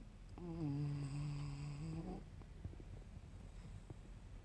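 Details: Tucker, a male Yorkshire Terrier traveling in a van, snoring while asleep: a steady, droning, nasal tone with rich overtones held for about two seconds, then breaking off into quiet breathing and faint clicks in a small room.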